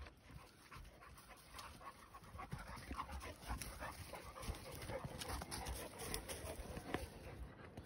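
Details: Cane Corso or Presa Canario dogs running up trees in Arcata Park; steady fast panting with scattered clicks and rustles, outdoor background hiss.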